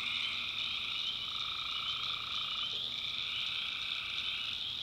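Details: A dense night chorus of tree frogs in a backwoods swamp in North Carolina, their trilling calls merging into a steady, high, shimmering drone.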